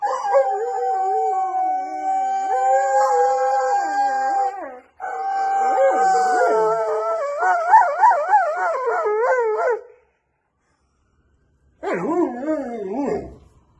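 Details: Siberian Husky howling: long, steady mid-pitched tones that break into wavering, warbling howls rising and falling in pitch, a short silence, then one brief quavering howl to finish.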